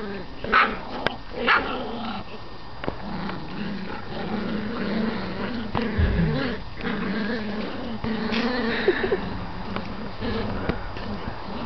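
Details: Puppies at eight weeks old playing a game of tug of war, low rumbling growls running throughout with a few short sharp yips near the start, a woman's voice speaking over the end.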